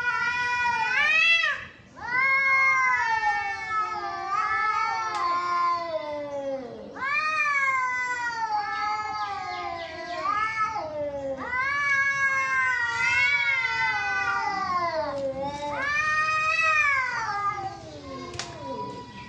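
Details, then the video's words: Cats fighting: long wavering yowls that rise and fall in pitch, rich in harmonics, one after another with short breaks, dipping low and swelling again, loud throughout. "Cats Fighting with real sound"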